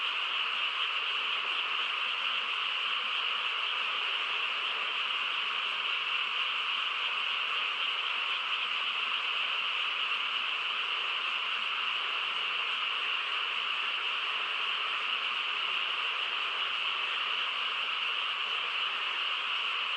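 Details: Frog chorus on a quiet countryside night: a dense, unbroken wall of overlapping calls forming a steady shimmering drone, mid-pitched with a brighter upper band, holding level for the full twenty seconds with no distinct voices or other sounds standing out.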